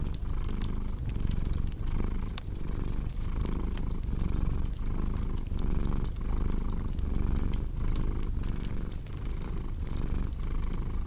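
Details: Low, rumbling cat purr repeating in even inhale-exhale surges, overlaid with frequent crisp pops from a crackling fireplace.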